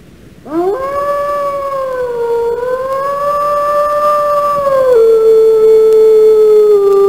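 A wolf gives one long, sustained howl, rising quickly to a steady tone, wavering slightly, then dropping to a lower pitch near the end.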